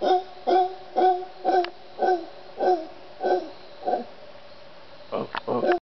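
A howler monkey gives a run of deep, hoarse, evenly spaced hoots, about two every second.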